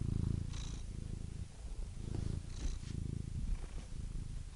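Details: Quieter, close cat purring: a low buzzing rumble rising and falling with each breath, faint breathy swells at intervals of roughly two seconds.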